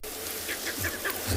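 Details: Monkeys give quick, repeated barking alarm calls at dawn in Tswalu Kalahari Reserve, South Africa, on 20 February, having spotted a leopard's white tail tip as she scent-marks a marula tree near her kill.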